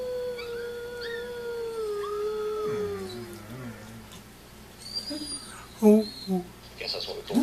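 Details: A pet dog gives one long, smooth howl that sags slowly lower over about three seconds and then trails off, followed by quieter scattered sounds and brief bumps of noise.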